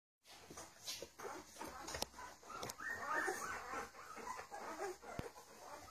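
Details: Domestic puppies of Charlotte and Mayley, fifteen days old, giving many overlapping high whiny squeals and whimpers with rising and falling pitch, nearly continuous, with occasional clicks and faint background noise.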